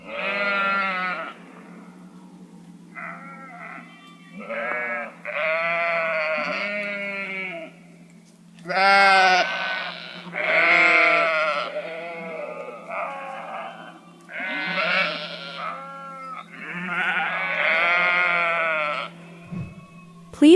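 Sheep bleating repeatedly, each baa a wavering, harmonic-rich call lasting about a second.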